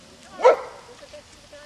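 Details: One of three dogs at a canyon home announcing someone passing: a single sharp harmonic bark, followed by faint background sounds.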